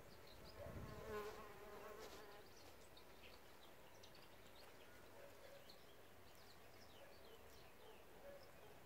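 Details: Bees at an insect hotel, a steady low buzzing drone with layered harmonic tones, a louder pass near the start, faint high chirps scattered above.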